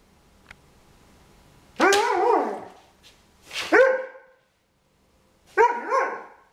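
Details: Irish Setter giving three loud barks spaced about two seconds apart, each bark sharp at onset then dropping in pitch, with near silence between them.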